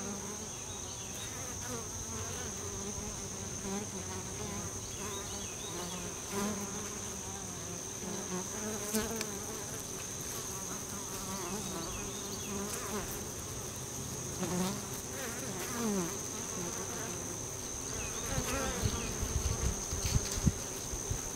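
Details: Many honey bees hum together in a dense, steady buzz at the entrance to a bee tree, with single bees droning past now and then.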